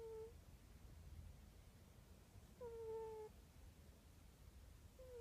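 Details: Domestic cat snoring indoors: quiet, whistling nasal tones, each lasting under a second, recur about every two and a half seconds over a low background hum.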